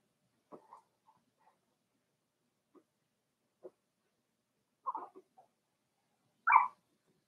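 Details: Four-week-old Cavalier King Charles Spaniel puppies in their indoor pen: scattered soft whimpers and squeaks, a brief cluster of yelps near the middle, then one louder, higher yelp at the end, with quiet between.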